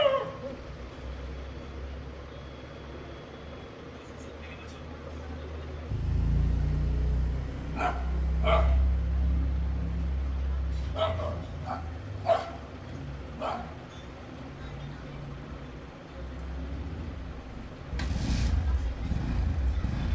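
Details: Street dog giving short sharp barks in irregular bursts, mostly between eight and fourteen seconds, over a steady low rumble of traffic and engine noise.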